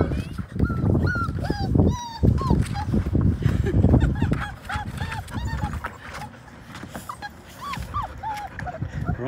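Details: Five-week-old Labrador Retriever puppies, six in the litter, paddle in the baby pool where they were born. High whimpers bend up and down, repeated in quick runs, over splashing water and a person speaking.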